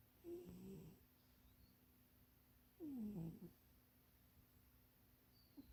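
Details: Napping in a box that is too small, Munchie the cat gives wheezy, falling snores, one short and one longer about two and a half seconds apart, with faint quiet room noise between.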